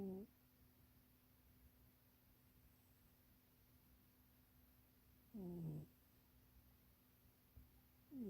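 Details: A pet cat named Munchie asleep in a too-small box, snoring in spaced breaths: brief tonal, slightly wavering snores recur several seconds apart, with near silence between.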